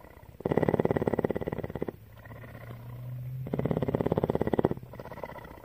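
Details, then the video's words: Purring cougar Tawney, a female at CARE in Bridgeport, Texas, gives strong throbbing purr bursts at the start and near the end, with a gentler, lower hum in between as the rhythm alternates. "Cougar purr"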